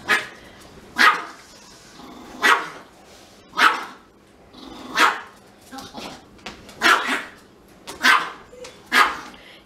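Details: Denied a sniff of the Pomeranian, a Siberian Husky cries in short, piercing yelps, about nine in a row spaced one to one and a half seconds apart, sometimes doubled, with low room hum beneath.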